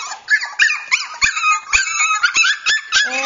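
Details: Two Cockapoo puppies, Champ and his chocolate sable sister Sable, indoors and eager to be picked up, give quick whimpers and thin yips in uneven runs, mixed with a person talking and occasional low thumps.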